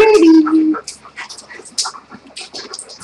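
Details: Rescued German Shepherd named Rex, indoors after recovering from pneumonia and two hospital stays, gives one short tonal whine that starts higher and slides down and level for under a second. Soft clicks and rustles follow.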